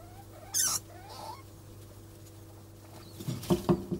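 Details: Degus mating, with a sharp high squeak, then faint short rising chirps, and scratchy rustling patter toward the end.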